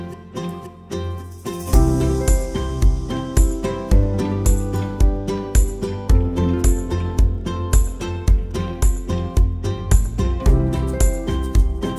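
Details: Rhythmic instrumental music with a steady beat and chiming tones; no animal sounds.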